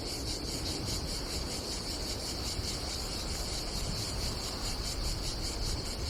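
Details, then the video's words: Cicadas buzzing on a hot summer day at an Adriatic campsite in Croatia, a high, rhythmically throbbing drone with steady pulses, layered over a strong low rumble of wind. "Silent ASMR vlog with nature cicadas sound"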